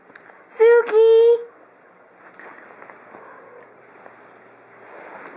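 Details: A small three-year-old female pet cat meows while playing fetch, giving one loud, clear, harmonic cry that breaks briefly in the middle. Faint rustling and quiet background noise follow.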